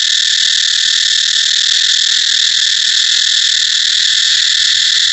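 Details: Cicada song as one long, even, high-pitched buzz that continues without interruption.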